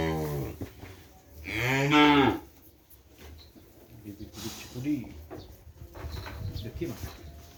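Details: Young Madura cattle of the kerapan racing type, brought from Sapudi Island, Indonesia: a short low moo, then a louder, wavering moo rising and falling in pitch, followed by quieter grunts, shuffling and a distant voice.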